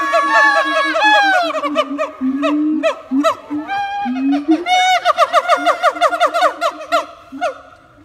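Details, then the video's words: Siamangs performing their song at Taronga Western Plains Zoo: a dense chorus of looping, bending whoops over low booming notes that speeds into a rapid, evenly pulsed series of loud barking calls before slowing again. "Siamangs singing and putting on a show"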